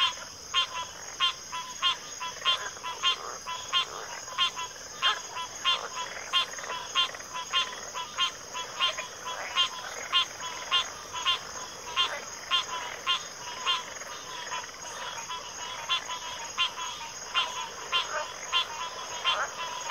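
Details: Frog chorus from a backwater: dense, steady series of short clicking notes about a second and a half per minute apart, repeated roughly 98 times a minute, over a constant high insect-like hiss.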